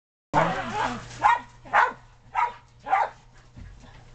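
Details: Shetland Sheepdogs romping excitedly in the snow in 2010, with puppies on a deck: a rough opening bark followed by four sharp, mid-pitched barks spaced about half a second apart, then quiet.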